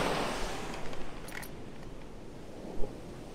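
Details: Steady rushing surf on an Atlantic beach at Myrtle Beach, South Carolina, with soft rustling and a brief sharp knock near the end; no animal voice is heard.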